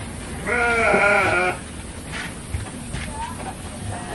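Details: Garut sheep at a ram-fighting farm in Dangiang village, Cilawu, Garut regency, West Java, Indonesia: a single loud, quavering, nasal bleat lasting about a second, followed by quieter background chatter and faint distant bleats.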